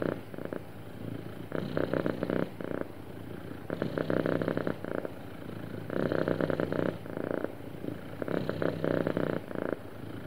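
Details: Smoothly purring happy cat, a continuous low rumble with loud pulsing swells repeating about every two seconds, steady and even throughout, no other sounds.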